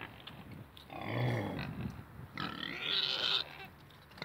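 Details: Two pot-bellied pigs and two Mangalica pigs kept together; a short burst of grunting followed by a harmonic, rising squeal near the end, with quieter snuffling between calls.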